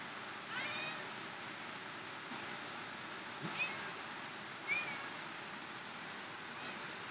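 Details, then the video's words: Domestic cat giving birth, heard as a few faint, thin, high-pitched mews that bend up and down, spaced a second or more apart, over a steady background hiss. "Kucing Melahirkan"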